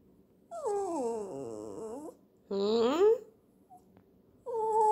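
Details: Terrier vocalising with long, wavering whine-like howls that slide down then rise, three bursts across the clip, indoors and quiet between calls.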